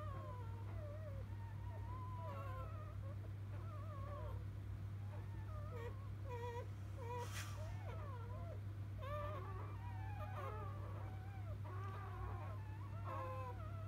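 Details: Newborn field-type Labrador Retriever puppies just after birth to biscuit, 2017 JFA Grand Champion; several overlapping high squeaky whimpers and rising-falling wails almost continuously, over a steady low electrical hum.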